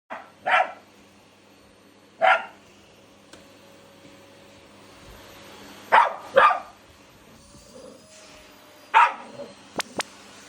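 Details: Household Shiba Inu and Labrador square off against a vacuum cleaner. There are six barks, mostly in doubled pairs, spaced a couple of seconds apart over a low constant hum. Two brief clicks come near the end.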